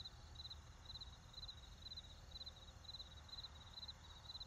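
A cricket chirps steadily in short, high, trilled bursts about twice a second over low traffic rumble.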